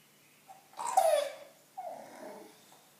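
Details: Bulldog indoors wanting attention, giving a short nasal whine that slides downward, a brief pause, then a second softer, lower moan that trails off.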